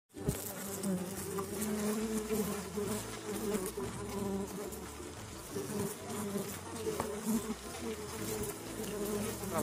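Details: Mandaçaia bees in the Caatinga of Brazil: many drones fly around a queen on the ground, trying to mate with her. A dense, steady, layered buzzing hum with low droning bands, continuous throughout.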